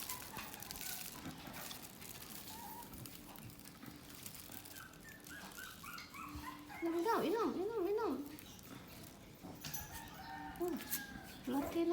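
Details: American Bully puppies on day 18, the day of their deworming, give high, wavering whimpers and squeals that rise and fall in a burst midway, with short yelps later over a human voice and soft handling noise.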